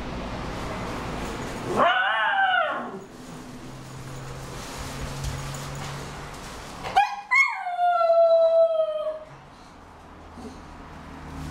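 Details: A pet mini schnauzer, Homer, mouthing his favourite large ball, makes one short arched whine, then after a pause a long, falling, plaintive whine that lasts about two seconds, in a quiet room.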